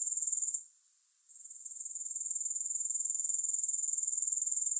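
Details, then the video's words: Grasshopper chorus, no music: a high, rapidly pulsing insect trill that fades out briefly after half a second, then swells back to a steady even rhythm. "3 Hours of Grass Hopper Sounds"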